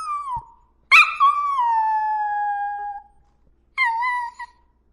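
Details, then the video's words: Dog howling: a short falling note, then a long drawn-out howl sliding gently downward for two seconds, followed by another brief howl. "Sounds of Dogs|কুকুরের ডাক|Dogs sounds"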